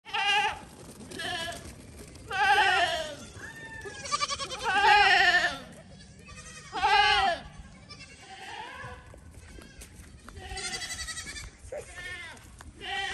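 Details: Playful goats jumping onto a small dinghy. Several loud, harmonic, wavering bleats rise and fall, spaced a few seconds apart, with quieter bleats between them and faint background noise.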